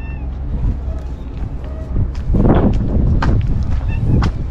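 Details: Stray white cat called Shiro, living among tetrapods on a breakwater, waiting for and greeting its caretaker; short harmonic meows over a steady low rumble of wind and surf, with a person repeatedly calling its name.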